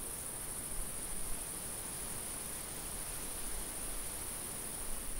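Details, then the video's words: High, even insect trilling from crickets in a summer field, unchanging throughout, with light wind murmuring at low pitch. "Summer field ambience-cricket, insect and light wind sounds"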